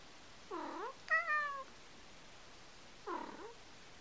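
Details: Male domestic cat making cooing calls likened to a dove's: three short, tonal, harmonic-rich calls in quiet indoor surroundings; the outer two bend down then up, the middle one is higher, flatter and slightly longer.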